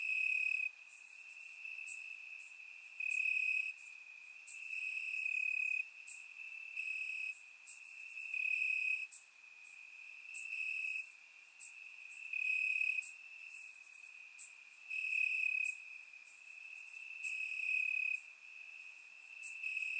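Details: Crickets chirping in the grass at night on a warm summer night in Bulgaria, recorded in surround sound: a steady high trill with louder swells every second or two, and sharp, very high ticking pulses above it.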